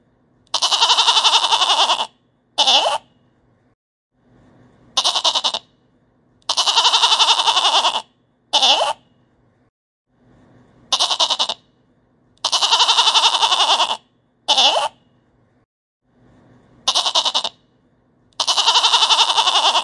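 A goat gives loud, quavering bleats, each long cry often followed by a short clipped one.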